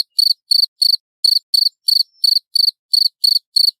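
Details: Loud clear cricket chirping used for songbird tutoring: short high pulsed bursts, each made of several quick clicks, repeated about three times a second on an even beat.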